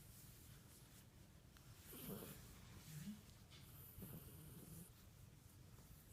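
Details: Italian greyhound purring like a cat: quiet, low rumbling, snore-like sounds with soft breathy swells near two, three and four seconds over a faint steady background hum.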